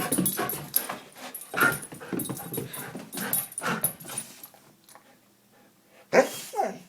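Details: Excited female Goldendoodle indoors, going berserk when the names of her absent boys are mentioned; short whiny whimpers and yips in bursts over a woman's repeated questioning voice, then a quieter pause and a final sharp cry.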